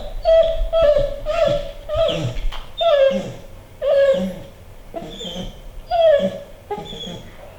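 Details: A female American Pit Bull Terrier whines in repeated high, nasal, wavering bursts, pleading to be let onto a treadmill.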